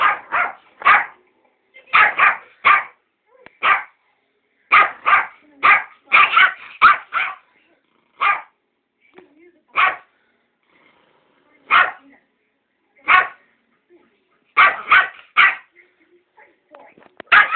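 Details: Pet Yorkshire Terrier named Ben defends a box of sweets with a long run of sharp, high, rasping barks, often in rapid pairs and triplets, with irregular gaps between volleys. Faint human voice occasionally underneath.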